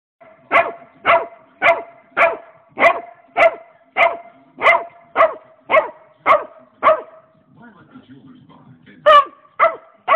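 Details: Pet dog barking at a rabbit: sharp barks repeated about twice a second for seven seconds, a pause with a low murmur, then three more barks.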